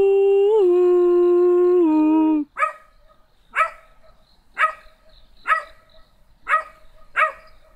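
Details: A long, steady, humanlike tonal note opens, then a small black dog answers with single sharp barks about once a second, spaced at a fairly even pace.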